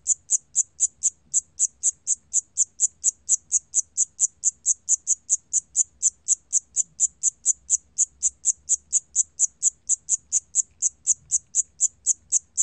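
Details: Korean 샴귀뚜라미 cricket, 2020 National Institute of Biological Resources recording: regular high piping chirps at a bit over two per second, unbroken through the whole stretch.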